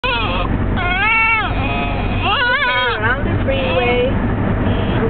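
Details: A French Bulldog whines and grumbles in wavering, rising-and-falling moans, complaining at being cooped up in an airline carrier bag during a car ride, with steady road noise.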